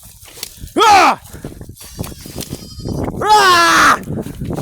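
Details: Goats being herded home by a farm boy, said to be hungry; two loud, wavering bleats, each about half a second long and separated by a short pause, over faint background noise.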